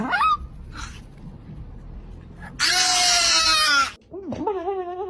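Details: Dog named Whisper, indoors and being offered food, gives a loud, strained, high wailing howl lasting over a second, followed by a shorter wavering, rising and falling moan; a person's voice is faintly heard at the start.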